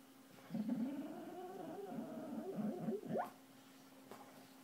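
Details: A dreaming dog in its sleep gives soft, wavering whimpers and muffled yelps that rise and fall for about three seconds, ending in a sharp upward squeak before quiet returns over a faint steady hum.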